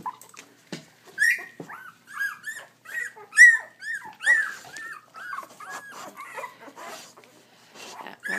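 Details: Young puppies being handled: a rapid run of high, thin squeaks and whines, each arching up and falling, repeated about once every half second, with rustling and handling noise.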